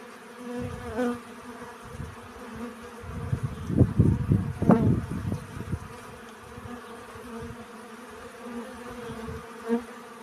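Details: Honey bee hum while collecting pollen, a steady low drone with a louder close buzz near one second. Heavy low rumbling bursts, likely wind, dominate the middle stretch around four to five seconds.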